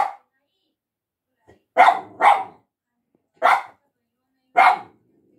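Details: A pet dog barks at a person: five short, sharp, harsh barks, a pair close together near two seconds, then single barks roughly every second, with brief quiet between them.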